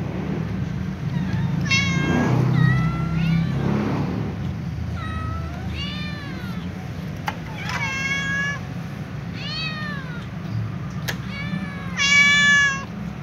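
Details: Little ginger cat meowing as it runs to scratch and eat alongside a tom cat and other cats; about eight harmonic meows, many arched or falling, some short and rising, over a steady low hum.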